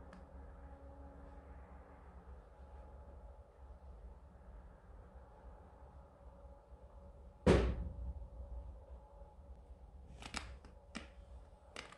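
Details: Quiet indoor room hum with a steady low drone, a sharp knock or door thump near the middle, and a few faint clicks toward the end; no animal voice.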